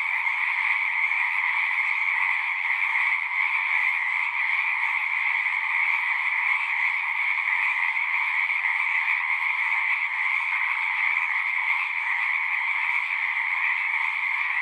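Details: Numerous frogs sing at a pond in a horse pasture, Zoom 6 recording, their overlapping shrill trills merging into one constant, even buzzing chorus.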